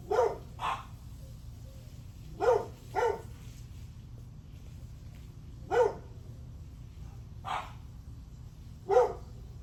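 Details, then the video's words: A dog barks on July 9 at 8:38 am, single barks and quick doubles spaced a few seconds apart over a constant low rumble. "Barking dog"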